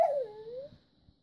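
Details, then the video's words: Indoors, a red Siberian Husky female begs for treats with a short whine. It starts loud and high, slides down, briefly lifts, then fades into quiet room noise. "Red Siberian Husky : Naughty Nenya Wants Treats"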